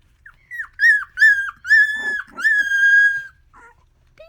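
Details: Miniature Australian Shepherd puppies, a litter of one boy and the rest girls, give a run of high, drawn-out whines that slide up and then fall away, greeted in the morning.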